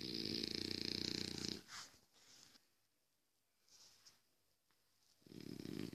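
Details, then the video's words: French Bulldog snoring in its sleep, a loud vibrating rattle on the inhale, then soft wheezy breaths and a quiet pause before the next rough snore starts. "French bulldog sleep"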